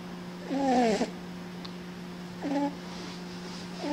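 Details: A cat snoring: two squeaky, whistle-like breaths sliding slightly downward, about two seconds apart, over a steady low electrical hum.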